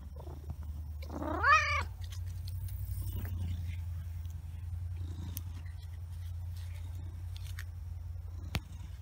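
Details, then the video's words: Big Blackie, a pet cat, gives one rising and falling meow near the start, then settles into a continuous low purr. Faint clicks and rustling sound in the background. "Big Blackie Purr Monster"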